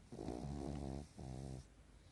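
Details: Pekingese dog snoring while asleep in REM sleep during a daytime nap, eyes not fully closed, indoors; two long rough, low rattling snores, the first about one second and the second about half a second, then quiet.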